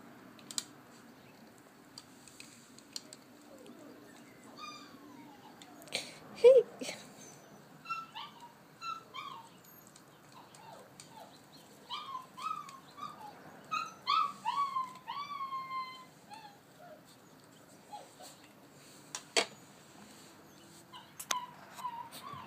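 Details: A female mahogany-coated Alaskan Malamute puppy whines and yelps in short, arched cries, some sliding upward and others dropping away, in quick runs of rising and falling calls, with a person speaking and faint room noises in the background.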